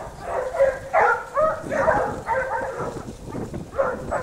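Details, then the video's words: A pack of Basset Hounds from the French kennel Rallye de l'Allagnon working a scent trail, their overlapping, moderately distant baying barks sounding in uneven bursts over a low rumbling background. "Basset Hound siguiendo rastros"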